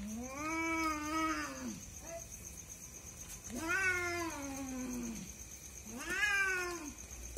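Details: Night fight between two cats, a husband and wife pair that keeps someone awake; three long, slowly bending yowls, each lasting over a second, spaced a few seconds apart, over a faint steady whine.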